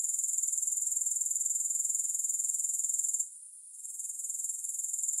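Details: Grasshoppers heard with no music: a dense, high, rapidly pulsing shrill trill, about four pulses a second, steady until a brief hush just past three seconds, then resuming slightly softer.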